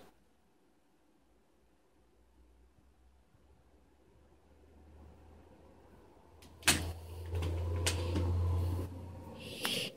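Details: A low steady hum fills a quiet room, then sudden thumps, knocks and rustling like a cupboard or door, with no animal voice.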